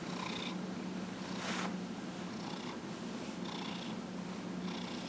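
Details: Purring from Dillard, an elderly 15.5-year-old house cat, during a massage in January 2018; continuous low drone with airy breath pulses roughly every second, nothing else audible.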